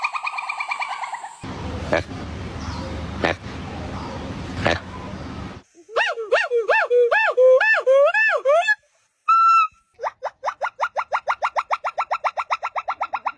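Monkeys give high, wavering whistles and fast squeaky chirps, after a stretch of rough, noisy sound.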